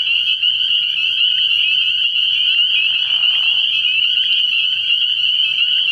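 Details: Night chorus of spring peepers from a frog pond early in the year, a relentless high-pitched ringing of overlapping peeps, with a brief lower raspy trill around three seconds.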